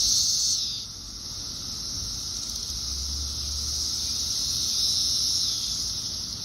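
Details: Thousands of periodical cicadas of Brood X in a tree in Fairfax, Virginia, in 2021 make a dense chorus: a steady, high, hissing drone with no breaks.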